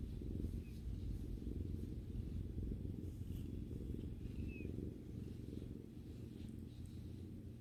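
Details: Female domestic cat purring while relaxing with her owner: a steady, dense low rumble pulsing about twice per second throughout, with a couple of faint, brief high chirping sounds in the background.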